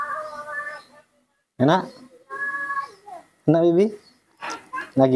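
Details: Newborn rescued baby monkey, its face crusted with dried pus, being hand-fed milk indoors. It gives loud wavering harmonic cries, some rising then falling, four or five bursts about a second apart, with a woman speaking softly in Indonesian between them.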